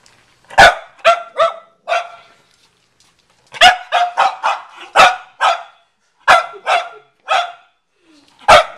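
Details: Cavalier King Charles Spaniel barking at a watermelon in a garage; sharp, harmonically rich barks in loose clusters of two to four, with short pauses between bursts.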